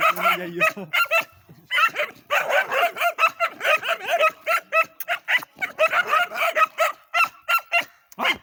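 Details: A short harmonic whine opens, then dogs bark in a steady, rapid stream of sharp, noisy yaps with only tiny gaps, fading to a few last barks at the end.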